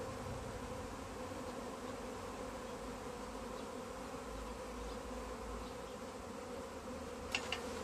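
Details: Swarming honey bees in a tree as they are gathered into a bag, giving a continuous low, resonant drone of many wings, with a couple of brief sharp clicks near the end.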